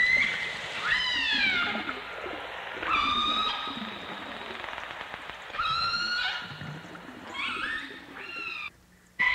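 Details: Underwater chorus of dolphins and orcas, recorded in full dimensional stereo in 1989: bursts of descending harmonic whistles arrive roughly every two to three seconds, separated by quieter hissing gaps, ending in a brief drop to near silence.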